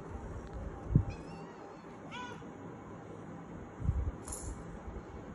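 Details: Kittens crying to be let outside: a brief, clear harmonic meow midway, a fainter thin mew just before it and a high squeak near the end, over steady low rumbling and a couple of dull thumps.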